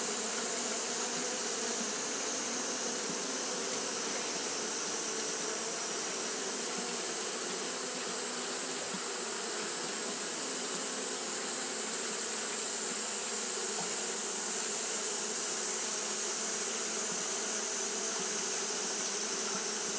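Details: On a hot day, Japanese honey bees keep fanning, producing an unbroken whirring drone, a low hum layered under a bright airy hiss that swells gently across twenty seconds.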